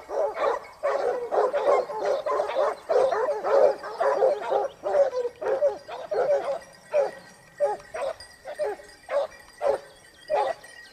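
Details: Basset Hound pack in Spain, second year hunting, 2015-16 season, giving tongue on the hunt; a steady run of bays from several hounds, dense and overlapping at first, then spaced single bays about every half second.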